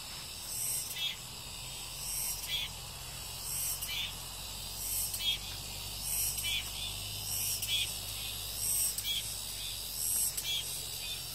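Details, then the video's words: Cicadas calling loudly once the rain has stopped: a dense, hissing high-pitched chorus with louder buzzy pulses swelling roughly every second and a half over a steady low hum. "REAL SOUND 매미소리"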